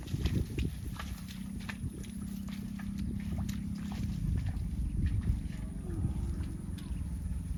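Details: Cow mooing: a deep, drawn-out droning tone of about three seconds, with faint footsteps, clatter and low outdoor rumble around it.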